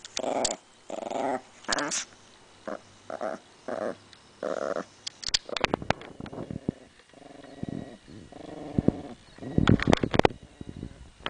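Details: Female Chihuahua defending her bone with a run of short, throaty growls repeated about every half second. They give way to clicking and gnawing noises and then further growling.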